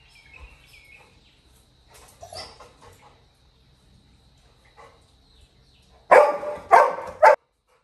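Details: Labrador Retriever puppy crying when his brother left the house, in a village; soft rustles and faint sounds at first, then three loud, abrupt yelping cries in quick succession near the end.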